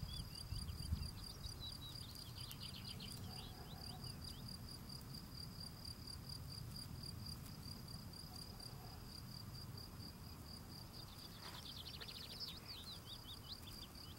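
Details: Male field cricket singing while cleaning his steps: a steady, high, finely pulsed chirping held throughout, with a faint overtone above. Birds twitter softly in the background over low rumbling outdoor noise.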